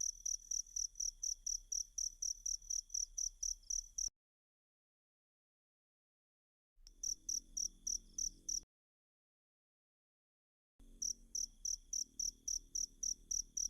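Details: Cricket chirps recorded as a masteran training track for kacer (magpie robin) songbirds: bright, high, evenly spaced pulses about four per second, broken by two silent gaps of several seconds, over a faint low hum.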